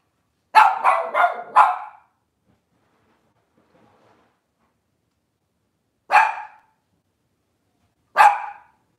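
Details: Cavalier King Charles Spaniel barking indoors by a kitchen camera: a rapid burst of four barks, a pause of several seconds, then two more isolated barks two seconds apart.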